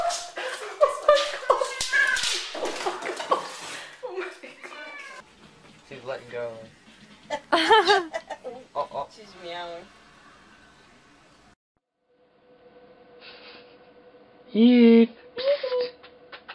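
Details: Female cat hanging from an object, then letting go, meows while excited voices exclaim and talk over the first half; after a brief silence comes one loud drawn-out meow and a shorter one.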